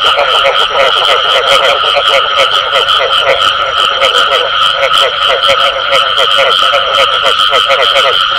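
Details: Chorus of calling frogs with the bù tọt call mixed in, a thick wall of fast repeated pulses layered over two steady high ringing tones, holding an even loudness from start to finish.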